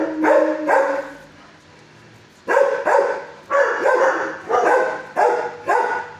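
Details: Six-year-old dog barking in a shelter kennel before learning to stay calm: two barks, a quiet pause, then seven evenly spaced, loud, rough barks.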